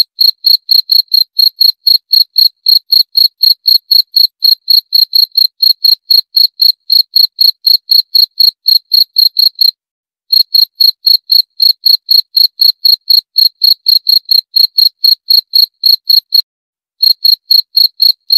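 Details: Cricket calling in a steady series of clean, high, pulsed chirps, about four per second, with two brief pauses near ten and sixteen seconds; no other sounds.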